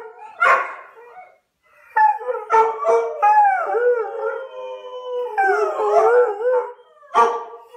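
An Airedale Terrier howls in wavering, drawn-out tones broken by short yelping notes.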